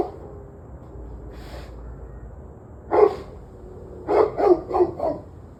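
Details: Dog on 11/21/23 at 7:06 pm: after a faint early bark, one loud bark, then a quick run of four barks in about a second, over a low steady hum.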